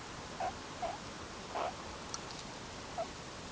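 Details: Wild, free-living meerkats of the Ungulungu group grooming and huddling together at sunset before going to sleep; four short, soft chirps come at irregular intervals over a steady, even hiss.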